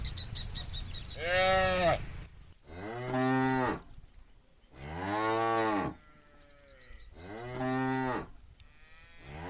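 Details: Bulls in a tame cattle herd call the cows home from green countryside pasture to the farm pen in the afternoon. Four loud, rounded moos, each lasting about a second, repeat roughly every two seconds over quiet gaps.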